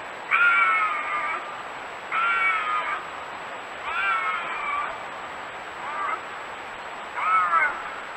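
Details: Bobcat howls played as a deterrent for raccoons and rodents: five tonal, harmonic yowls, each about a second long, repeated roughly every two seconds, with a faint steady high whine in the background.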